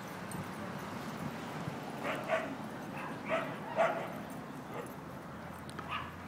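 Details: Basenji. A basenji lets out brief, bright yipping calls, each a quick burst, spaced irregularly a second or so apart. A low, steady hiss of background noise runs underneath throughout.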